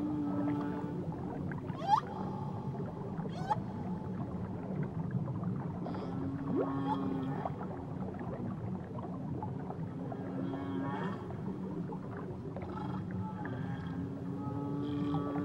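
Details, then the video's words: Whale singing in Tahiti waters, a busy sequence of short tonal moans, brief upsweeps and clicking bursts spaced a second or two apart, layered over continuous low-pitched watery rumble. "Nature Sounds Only Whales & Beaches"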